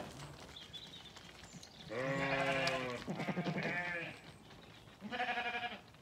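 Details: Lambs on a regenerative farm in County Kilkenny, Ireland, loading themselves into a trailer while looking for their breakfast. Several loud, wavering, nasal bleats come in quick succession, then a short, shaky bleat after a pause.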